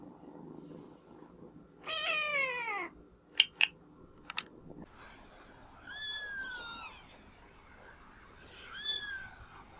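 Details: Cat or kitten from a funny compilation giving three drawn-out, harmonic meows, the first falling in pitch and the later ones arching, separated by sharp clicks and quiet background hum.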